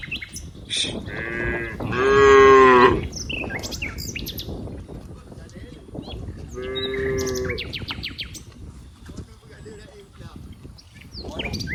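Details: Cows out in green rice fields; a loud moo near two seconds and a softer one around seven, with bird chirps scattered throughout and a noisy outdoor background.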